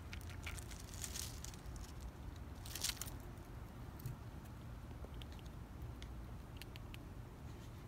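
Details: Squirrel eating, recorded up close: crunchy, crackling bites in bursts, heaviest near the first and third seconds, then scattered sharp clicks of chewing over a steady low rumble.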